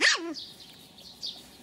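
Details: Pixel, a two-month-old Pomeranian puppy from the Elenhouse kennel in Kyiv, gives one short high yelp that slides steeply downward in pitch, followed by near quiet indoors with faint soft sounds.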